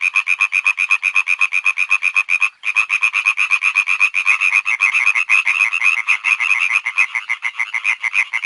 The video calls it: Sonido gratis de ranas / Free sound of frogs